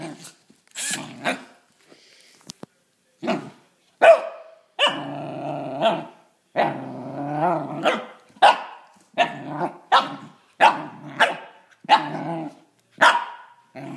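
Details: Six-month-old corgi puppy Gus, a Pembroke/Cardigan cross, faces off with a drill: a low rumbling growl stretches out between short, snappy barks fired roughly once a second, uneven in rhythm.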